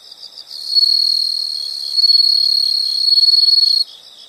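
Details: A single long insect trill in a soothing nature recording: quiet pulsed chirps give way to a bright, sustained, very high buzzing trill of about three seconds that swells slightly before stopping abruptly.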